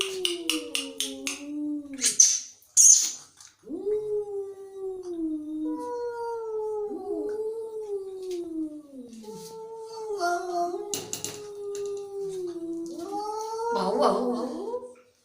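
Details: Angry cat opening with quick hisses and spits, then a chain of falling, whining yowls that rise and drop repeatedly, ending in a harsher snarl.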